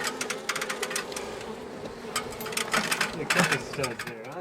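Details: Angry honey bee colony, long established inside a house wall, disturbed after dark on day one of a March 6 rescue cutout; a dense, steady droning hum with scattered clicks and taps and faint voices.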